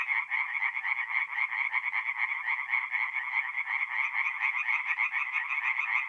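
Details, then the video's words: Night chorus of tree frogs at a forest pond, north-east Italy, mid-April: fast repeated nasal croaks blend into an unbroken pulsing drone from many callers, nothing else audible. "relaxing forest pond by night with singing tree frogs"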